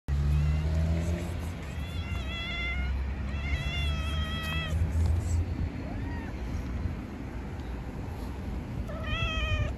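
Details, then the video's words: Female tabby cat meowing in the street, seeking attention and wanting to be stroked; four loud, drawn-out, wavering meows, some rising then falling, spaced a few seconds apart, over a steady low traffic rumble. "Very beautiful tabby cat meows in the street. The cat needs attention, she wants to be stroked"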